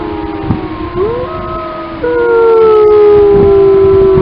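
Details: Wild grey wolves of the Lamar Canyon Pack howl in Yellowstone. Several long, smooth, overlapping howls rise and slide against each other. One voice swoops upward, and a loud sustained howl takes over halfway through.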